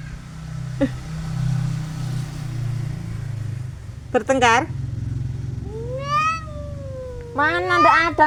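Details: Cats fighting: drawn-out, wavering yowls in three bursts, the second a long rising-then-falling moan and the last a rapid run of rough wails, over a steady low engine-like hum.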